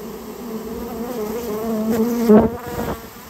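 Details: Japanese honey bee colony that nested inside a private storehouse, being removed on request; steady low hum with overtones stacked above it, swelling briefly louder near the end with a few sharp knocks.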